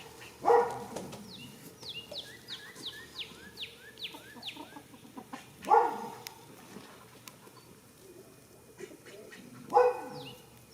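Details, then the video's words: Goat snoring while asleep in a field on the first day of spring: loud, rough, harmonic breaths recur about every four to five seconds, with quieter breathing between and rapid descending bird chirps in the background. "heres a goat snoring for 16 minutes"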